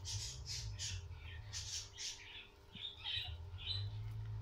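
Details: A guinea pig gives a run of high, shrill squeaks over a low indoor hum, around a birth.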